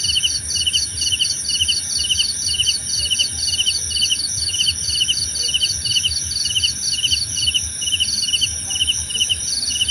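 Crickets chirp in steady, rapid pulses, high-pitched trills repeating several times a second.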